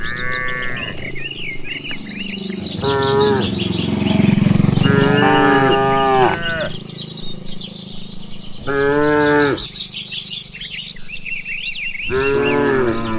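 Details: Cows in a herd led along a countryside path after eating grass, several overlapping moos, some long and wavering, others short, with busy bird chirps above and a noisy rumble in the middle.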